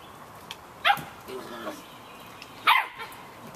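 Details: Samoyed puppies, 51 days old, yapping outdoors in the rain on a deck; two short sharp yaps about two seconds apart with fainter squeaks between, over steady rain hiss.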